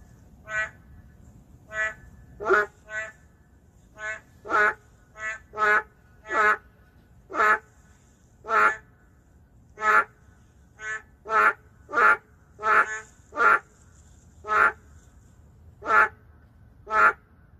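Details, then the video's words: In the heart of a city, endangered narrow-mouthed frogs keep up a dense chorus of short, nasal, harmonic croaks, two or more individuals alternating, about one call every second across the stretch. "도심 속 멸종위기 동물 맹꽁이 울음소리 (Narrow-mouth frog crying sound)"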